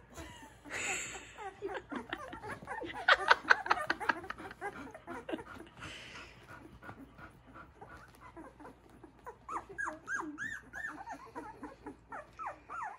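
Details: Young puppies beginning to walk beside their mother, giving a busy stream of high thin whimpers and squeaky yips, overlapping and irregular, louder in a burst early on and then softer rising whines toward the end.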